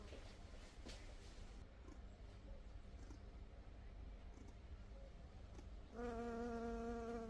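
A honey bee's steady, low buzz swells up close near the end, after a stretch of rushing noise.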